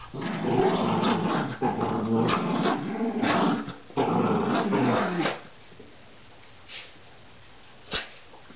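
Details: Tug-of-war play by a Rat Terrier: steady throaty growling for about five seconds, then quiet with a couple of faint knocks.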